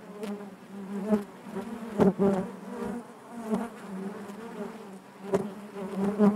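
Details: A hive full of honey bees humming steadily, the low drone repeatedly swelling into louder bursts every second or so as bees buzz close, with faint clicking.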